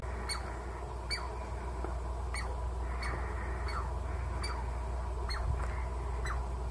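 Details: An agitated Douglas squirrel barks sharply and repeatedly at the person filming, scolding with quick, downward-sliding chirps.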